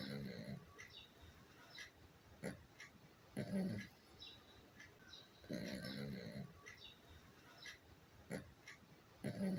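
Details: Pomchi (Pomeranian–Chihuahua mix) named Kuu, fast asleep with eyes half open, snoring: short throaty snorts come in bursts every two to three seconds against a quiet room.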